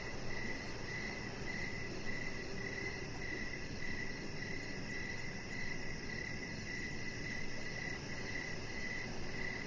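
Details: On a deck in the evening, crickets give a steady run of short chirps close to twice each second, while a thin, rapid high pulsing and low rumbling ambience sit underneath.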